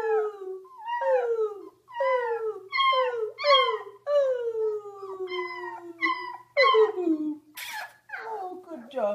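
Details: Young dog giving a rapid series of short, falling yowls about one a second, each dropping in pitch, with a brief noisy burst near the end.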